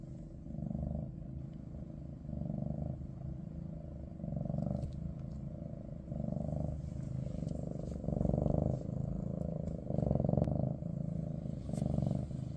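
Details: Loud, close purring from a Maine Coon in kitten Ada's big cat family: a deep rumble swelling and fading in regular breath cycles, roughly every two seconds, growing stronger toward the end.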